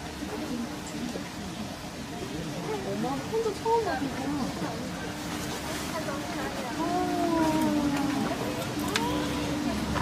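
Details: Giant panda Yuan Zai, a female born July 2013, bleats in soft, wavering, goat-like notes while in heat, with people chattering nearby; Taipei Zoo, morning of a rainy, overcast March day, 14–17 °C. She is also scratching tree trunks, rubbing her tail and pacing.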